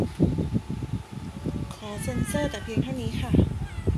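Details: Panda, a Siamese-Persian cat, in a ritual before toilet time: a drawn-out, wavering harmonic meow midway, then a shorter rising-and-falling meow, over steady rustling and soft thumps.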